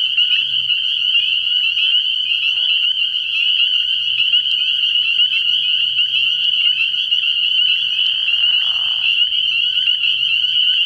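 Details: Dense night chorus of many spring peepers at a frog pond early in the year: a continuous, shrill, high peeping wall with overlapping rapid pulses, plus a faint low droning hum beneath at intervals.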